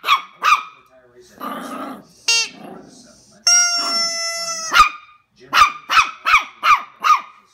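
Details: Knuckles, a Jack Russell terrier puppy, facing a giant gummy bear: two sharp yapping barks, a quick high whine, a long drawn-out whimper, then a rapid run of six shrill barks.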